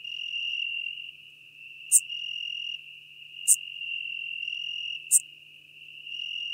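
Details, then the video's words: Schmidt's marbled bush-cricket singing near Venice, Italy, 2 September 2021, a steady shrill buzz broken into phrases of about a second, punctuated by short sharp high clicks about every one and a half seconds. "Eupholidoptera schmidti -- Schmidts Grüne Strauchschrecke -- Schmidt's Marbled Bush-cricket"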